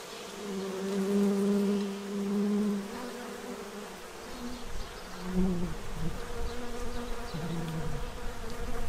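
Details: Central Illinois bees gathering food from a feeding tray ahead of winter. A steady, deep hum rises and dips in pitch as several insects fly past, loudest at the start and again toward the end.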